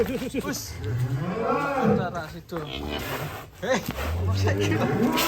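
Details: Cattle among a group of fat, colourful cows: low, drawn-out lowing moos rumble at the start and again near the end, overlapped by people talking and background music.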